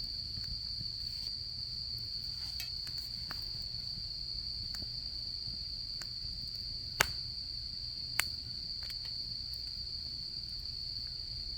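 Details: Autumn insect chorus during camping season: a constant shrill trill holds without pause, while a campfire gives occasional sharp pops, two of them loud.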